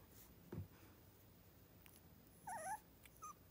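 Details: A brief, wobbling whimper from a three-week-old miniature schnauzer puppy near Radisson, Saskatchewan, preceded by a low bump of handling noise and followed by a tiny squeak.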